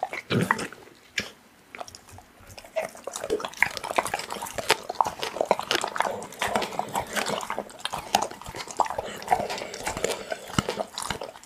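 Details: Pit bull chewing raw meat inside a small room: a steady stream of moist crunching and tearing bites, sharp clicks and slurps packed closely together with hardly a pause.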